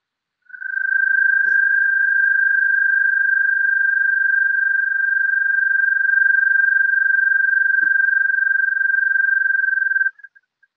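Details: An American toad (Anaxyrus americanus) gives a long, steady, high-pitched musical trill lasting nearly ten seconds.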